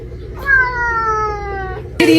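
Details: A cat gives one long, steady meow that slowly falls in pitch, over a constant low hum, with a sudden burst of noise at the end.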